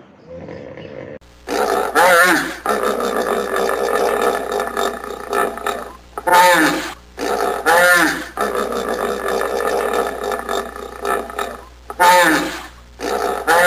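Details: Hippopotamus roaring in loud, harsh, rasping bursts of one to two seconds, separated by short pauses and repeated about every two seconds, each burst broad and growling with a deep throaty rumble underneath.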